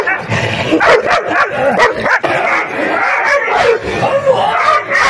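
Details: Puppies in a play fight make a dense mix of yips, whines and growly squeals over steady background noise, voices overlapping and blurred together.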